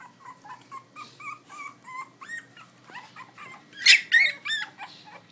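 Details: Eight Pitbull cross and Belgian Malinois puppies, born to a three-year-old Pitbull cross mother and one-year-old Malinois father in Butuan City, recorded on an iPhone; rapid run of high squeaky whimpers, several per second, with one louder shrill cry.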